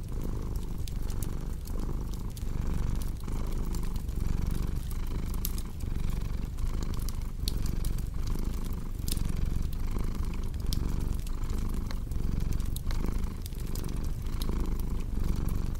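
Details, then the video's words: Cat purr as a soft, continuous low drone beating in regular breath cycles, mixed with a fireplace's crisp crackling and occasional louder snaps. "Purring Cat"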